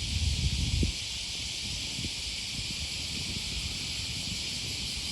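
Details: Cicadas on an August 2020 morning along the Okawa River near Sakuranomiya Park, Osaka, Japan: a steady, high, hissing drone runs unbroken throughout, over low rumbling and a burst of louder thumping in the first second.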